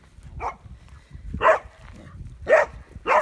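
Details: Farm dogs in central Portugal give sharp, mid-pitched, somewhat irregular barks, roughly one per second, one morning as they chase off a young wild boar that keeps turning back on them.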